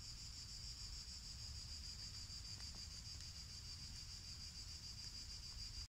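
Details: Summer cicadas in song as a black cat listens, an unbroken high, sizzling buzz of even loudness over soft low wind rumble, ending abruptly.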